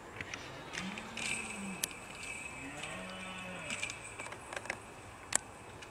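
A red deer stag gives deep, drawn-out groaning bellows, the rutting call of the breeding season.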